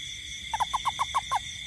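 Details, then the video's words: Night-time toad call from a rainy garden: seven clipped, slightly falling notes in a fast, even series lasting about a second, set against a continuous high whining background hum. "Toad frog sound in garden at night"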